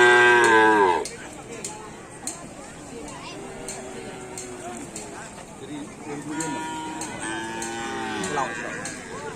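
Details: Cattle at a karapan sapi bull race on Sapudi Island: a loud, rich harmonic moo fills the first second, then a quieter stretch with sharp clicks and murmur, and further drawn, wavering calls rise again over the last three seconds.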